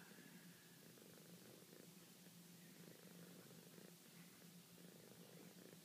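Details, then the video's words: Pet cat purring contentedly while being stroked, a steady low rumble pulsing in long even breaths, inhale and exhale phases alternating about every second throughout, with quiet room hiss behind. "Franny Purr"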